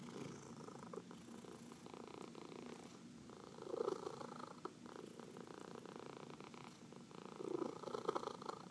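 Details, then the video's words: Indoor domestic cat purring steadily while being massaged, one of four pets; a soft, even, throbbing purr that grows slightly louder near four and eight seconds as the cat breathes in and out. "Four Purring Cats — Cat Massage"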